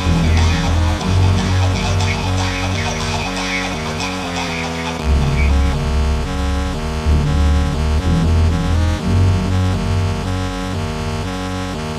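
Loud electronic music with heavy bass and plucked tones plays throughout, with no animal sound.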